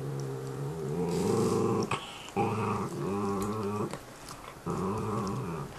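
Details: Growling match between two pet dogs chewing bones indoors; loud, low, rumbling growls held for over a second at a time, with slight wavering pitch and short breaks between bursts.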